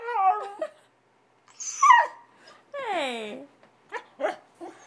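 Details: Stubborn puppy protesting at being brought in from potty time, wanting to play: short descending whimpers, a high squeaky yelp, then a wavering whine sliding downward and a few brief yips.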